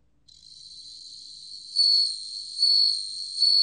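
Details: Bell cricket song, a continuous high-pitched metallic ring rising in loudness with clear tinkling surges roughly every 0.8 seconds, three surges, quiet background.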